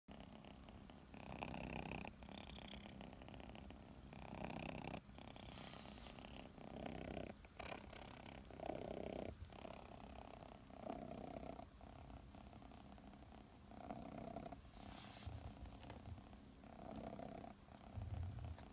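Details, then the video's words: Six-month-old kitten sleeping comfortably indoors under a kotatsu, purring and snoring: soft, quiet rumbling breaths rising and falling roughly every second, steady throughout in a still room. "いびきをかきながらコタツで寝る子猫 cats snore"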